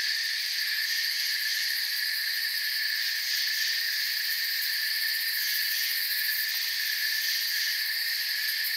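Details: A calm forest filled with crickets, their high chirps blending into a seamless, steady ringing hum with gentle pulsing.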